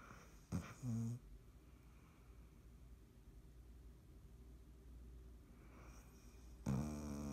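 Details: Sleeping cat Dottie snores on 3.17.19 indoors: a short snort followed by a brief buzzy inhale near the start, a long quiet pause with faint breathing, then another rasping snore at the end.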